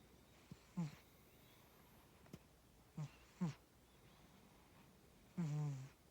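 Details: Sleeping pet cat named Tora snoring, with irregular low throaty breaths, some carrying a faint tonal edge, and a longer drawn-out snore near the end, in a quiet room.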